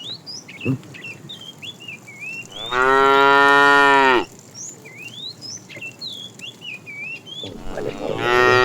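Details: Fat cow in a tame herd being driven along in the afternoon, calling the female with a long, steady, rich-toned moo of about a second and a half, a second one beginning near the end, and songbirds chirping in between.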